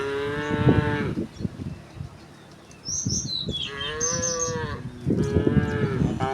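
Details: Morning herd of cows returning home through a village, several overlapping moos with clopping hoof-like knocks and small bird chirps above.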